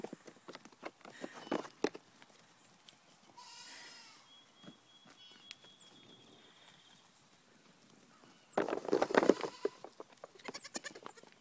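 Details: Three-week-old goat kids, small and lively, give a brief harsh bleating burst late in the recording, with a softer drawn-out bleat earlier, amid scattered hoof taps and clicks on a hard floor.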